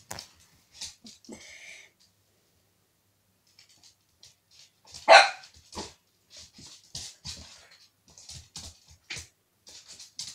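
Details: Corgi puppy named Bono Boneyra iz Imperii Adamant, three and a half months old, playing with a water bowl, gives one sharp loud bark amid splashing, clattering and scattered short noises.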